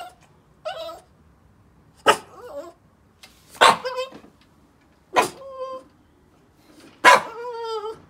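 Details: Yoda, a Boston Terrier, overly excited to play: five sharp bark-yips spaced one to two seconds apart, each trailing off into a falling, whining tone, with quiet gaps between.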